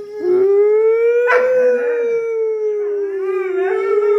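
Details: Howl from Doberman Pinschers started off by air horn audio; one long steady mid-pitched note rising gently, with a short sharp yelp overlapping and a wavering second voice joining toward the close.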